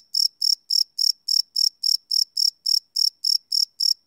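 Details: Crickets chirping live at night, captured on a Sony PCM D100 field recorder without loops: a steady train of bright, high-pitched pulses, about three or four chirps each second, evenly spaced, with nothing else audible.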